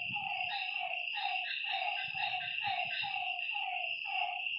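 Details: Frog calling at night by a lake: short, slightly falling nasal notes repeated about twice a second, over a steady high insect drone and faint low rumbles.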